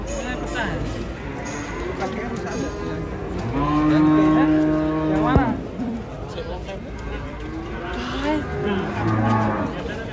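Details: Moos from a giant cow with a limping leg unloaded from a truck: a long steady low moo around the middle, shorter lows before and after, over background chatter and a sharp knock.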